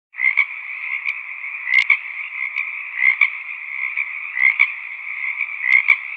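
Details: Frogs croaking in a valley: a dense, steady chorus of buzzy croaks with brighter pulses standing out about every second or so over a continuous droning hum.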